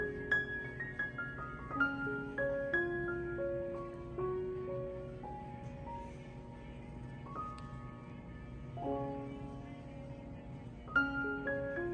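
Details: Soft, slow piano music with a gentle lullaby-like melody plays, with no animal sound heard.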